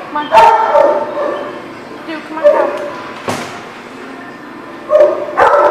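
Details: Dogs barking at a dog lot, with several sharp bursts of barking and yips scattered over a steady background of overlapping canine voices and some human speech.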